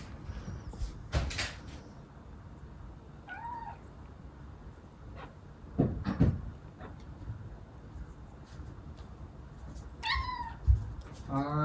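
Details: Moco, a female Munchkin with long legs, begs for her meal indoors: short meows at intervals, the last a rapid rising wail, punctuated by loud knocks and thumps like a cupboard or door moving.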